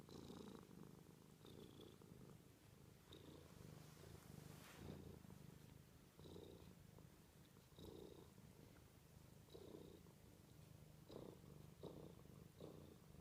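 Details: A domestic cat purring softly, with a quiet, steady low rumble pulsing with its breathing about every one and a half seconds throughout.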